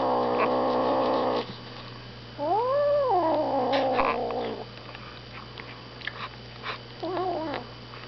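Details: A six-week-old Savannah kitten, having its first taste of meat, growls low and harsh, then draws out rising-and-falling yowls while guarding its food "kill".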